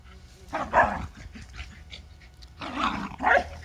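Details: Two Lakeland terriers, Holly and Ville, playing together in summer heat: two short bursts of rough, gruff barking and growling about two seconds apart, with quiet outdoor background between.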